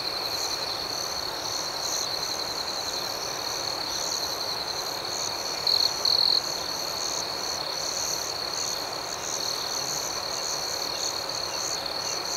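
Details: Crickets chirp through a quiet outdoor night: an unbroken high trill with rhythmic chirps pulsing above it, and a brief louder double burst of trilling near the middle.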